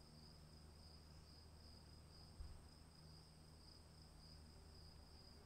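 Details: Rain-soaked night of cricket song: one sustained, shrill, even trill with a faint higher overtone, over steady rain hiss and deep low-pitched hum, interrupted by a single soft thump midway.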